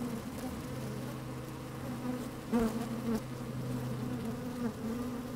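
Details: Honey bees working in an open hive on a fine sunny day, close microphone inside: a constant low hum with a deep steady undertone, punctuated around the middle by a couple of sharper, louder buzzes as bees move past.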